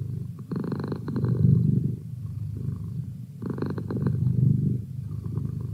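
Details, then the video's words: Merlin the cat purring in a quiet room, a soft deep vibrating hum that rises into two stronger bursts a few seconds apart before easing off again. "Cat Purr"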